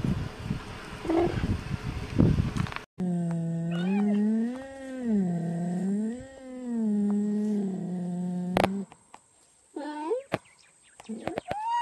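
A cheetah gives a long, wavering, moaning yowl that rises and falls for about six seconds, then two short rising calls, after a burst of rough background noise.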